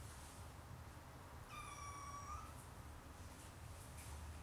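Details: Siamese kittens, four of them, playing beside their mother on a Saturday afternoon; one high, thin mew lasting about a second, slightly falling, over a steady low hum.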